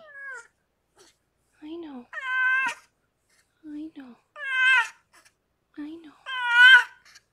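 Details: Rescued pregnant cat Harlequin, fostered indoors, giving birth to six kittens: three loud, drawn-out, harmonic meows roughly every two seconds, each rising then falling slightly, with soft human voices murmuring between them.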